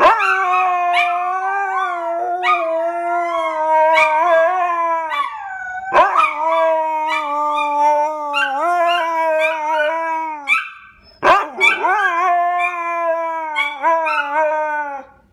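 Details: A Husky and a Pharaoh Hound howl and talk in long sustained tones, slightly wavering, while sharp yips and brief barking bursts cut in repeatedly; a short pause near the middle before the drawn-out howling resumes.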